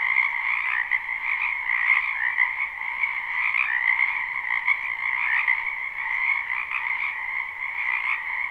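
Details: Spring chorus of numerous frogs in a wetland beside a home, a live recording: continuous layered croaking and trilling that blends into a steady droning wall of sound, nothing else audible.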